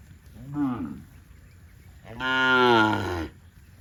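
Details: Cattle farm cows in green grass rice fields: a brief soft low moo, then a loud sustained bellow lasting over a second with dense harmonics.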